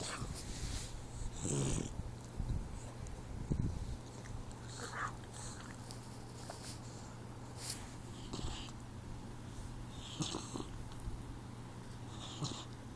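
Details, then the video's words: A 4-month-old Boxer puppy sleeping: soft, low, rumbling snores with occasional breathy, snorting bursts spread through the recording over a steady low electrical hum. "Snoring Boxer Puppy"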